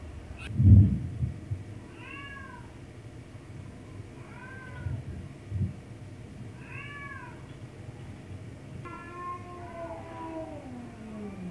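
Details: Softer, shorter meows from a domestic cat being teased, three evenly spaced arching calls about every two and a half seconds, then a longer drawn-out descending mew; a sharp thump at the start.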